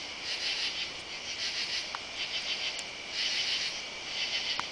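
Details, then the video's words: Summer-night katydids under oak trees in a side yard, July 31: grating high-pitched bursts, roughly one each second, swelling and fading in an uneven rhythm, with a few sharp clicks. "Katy-dids (insect)"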